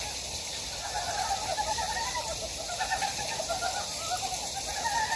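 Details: Frogs calling in a stream valley on Gyejoksan, Daedeok-gu, Daejeon, South Korea: a dense chorus of short, rapid, rattling croaks overlapping continuously above a steady hiss of rushing water.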